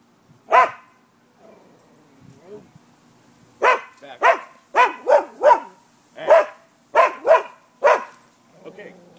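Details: Midday barking by neighbourhood dogs on 5 November 2015: one loud bark, a quiet pause with soft murmuring, then a string of rapid barks in pairs and triplets, with a thin high whine lingering behind.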